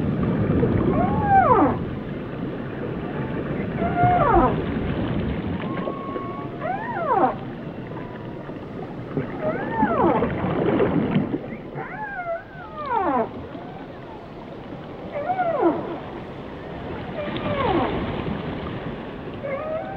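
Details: Whale calls, fainter and partly masked by a steady low rumble and hiss, heard as repeated thin sliding whistles that bend up and down, roughly every two to three seconds.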